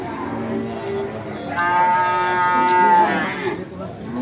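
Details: A nine-month-old Pegon calf at the busy Bekonang livestock market in Sukoharjo, Indonesia. One long, fairly high, nasal moo holds steady for about a second and a half over background chatter and faint music.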